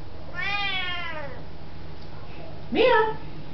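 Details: A very talkative Siamese cat gives two drawn-out, deep, loud tonal meows in reply to a person talking to it, saying hello; footage from 2005.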